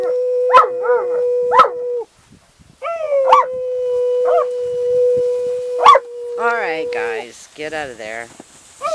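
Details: Cleo the Irish Wolfhound howling near horses in July 2013, her owner prompting her; a held steady howl with a few sharp yips, then a person's voice and wavering human howling at the end.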